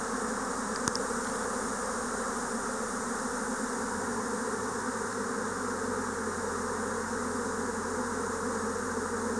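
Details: Swarming Japanese honeybees in spring 2024 create a continuous layered hum of many wings; a sharp click sounds early on, and a low steady tone joins the drone midway.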